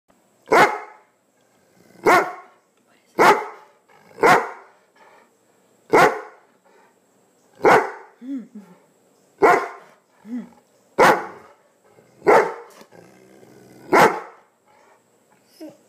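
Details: A female Greater Swiss Mountain Dog gives deep, loud barks about once a second, protesting because she wants some of her owner's breakfast; she can bark even louder.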